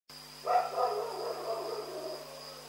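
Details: A dog barks at night: one short, sharp bark that fades into a trailing echo over about two seconds. A steady high electronic whine and a low hum continue throughout.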